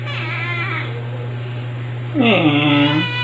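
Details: A talkative rescued female white kitten, orange and grey markings, roughly four months old and awaiting adoption, July 2022: a faint short call, then a louder rising meow that levels off and fades, over a constant low hum.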